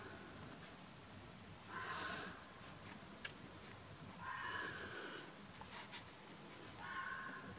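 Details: On a misty night by a train line, a fox gives drawn-out, hoarse wailing howls, each about half a second long, repeated every two or three seconds.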